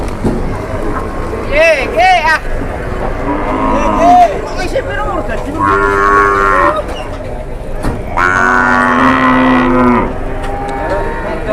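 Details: Cattle at an Indonesian livestock trade, one cow enraged and charging during haggling; several loud, drawn-out harmonic moos, some rising then falling, over a background of crowd chatter and men talking.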